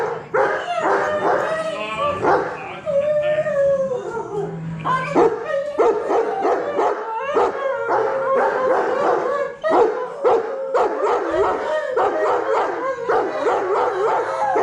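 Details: Three Alaskan bush dogs howl in a group chorus after mushing. Their long wavering tones rise and fall, broken by yips and short barks. A human voice joins the dense, continuous group singing.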